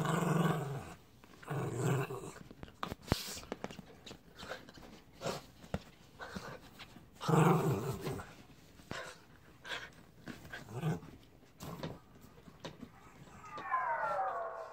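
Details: Jack, a mutt, over a baby zebra: low rumbling growls in short bursts, strongest near the start and around seven seconds, with scuffling and indoor room noise between them.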